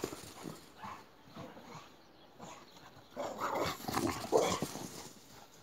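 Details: Several boxers chasing each other in play: quiet scuffling at first, then a run of harsh growls and yelping noises toward the end, over thumping footfalls.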